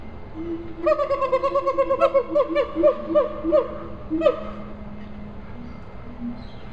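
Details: A captive siamang at a zoo in Columbia, South Carolina gives loud, ringing hoots in a rapid series of about a dozen notes, each swelling and bending in pitch, then stops abruptly, leaving a faint background hum.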